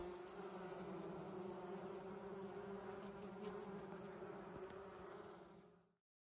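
Honey bees produce a steady, low droning hum of wingbeats that holds an even pitch throughout.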